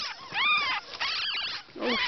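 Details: Newborn ferret kits, a litter of ten with their mother; high squeaky chirping cries with rising-falling harmonic sweeps, several overlapping in quick bursts.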